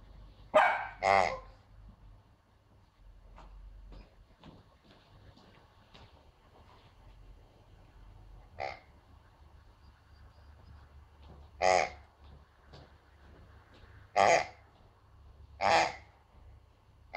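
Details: Pomsky puppy, female, afraid of a strange new piggy toy; two quick barks at the start, a long quiet stretch with faint sounds, then single sharp barks spaced a few seconds apart.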